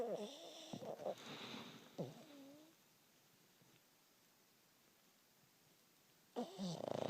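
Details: Sleeping pug Waffle snoring: a couple of short rasping, wavering snore breaths in the first few seconds, then near silence before another snort at the end.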